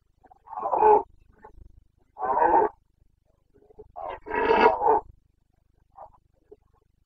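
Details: Carpathian red deer stag in the Bucovina mountains, boncănit rutting roar on 29 September 2022 during the breeding season: three deep, harmonic, drawn-out bellows about a second apart, the last the longest and loudest, with no other sounds.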